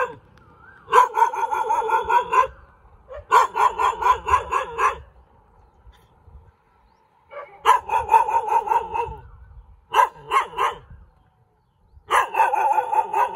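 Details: Sharp, high yapping barks from a cute dog come in dense bursts of one to two seconds, with near-silent pauses between bursts.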